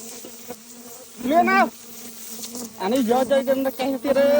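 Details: Honey bees humming as people harvest a nest with fire; a steady low drone runs throughout, nearly drowned out twice by loud, excited shouting voices.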